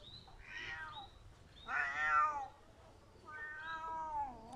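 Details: Three plaintive meows from a crying pet cat, each rising and falling, the middle one loudest, separated by short quiet gaps, with faint clicks in the background.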